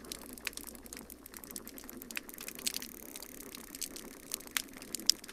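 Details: Snapping shrimp crackle as steady, popcorn-like underwater pops, typical background noise recorded 1 August 2018 at the Cortez station, Cortez, Florida, Sarasota Bay, with a dolphin passing and some toadfish also heard.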